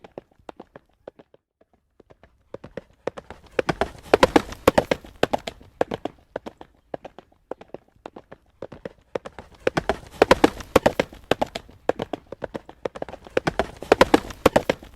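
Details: On a road, a horse trots with a clear clip-clop. Sparse, quieter strikes at the start give way to two stretches of loud, rapid, tightly packed hoofbeats with a short calmer gap between them.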